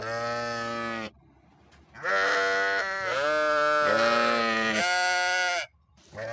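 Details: Sheep bleating: a loud, nasal, wavering bleat, a short pause, then a long run of three or four joined bleats that rise and fall in pitch, and the start of another bleat at the end.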